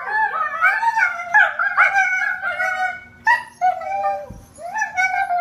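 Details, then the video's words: Husky 'talking' in an operatic style: continuous yodelling howls and whines that bend and waver in pitch, strongly harmonic, with short breaks between phrases. "HUSKY TALKING OPERA"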